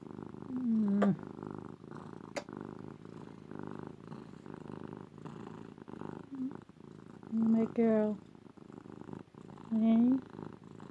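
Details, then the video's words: Domestic cat Ruby, female, purring while cuddled; a low steady rumble continues underneath as a person speaks softly to her in three short bursts. "Cat gets cuddles, purring loudly!"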